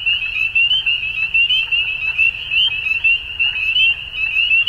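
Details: Frogs calling at dusk: a dense, steady chorus of high, rapidly pulsed trills overlapping without pause, with loudness swelling and dipping about once a second and a faint low rumble underneath.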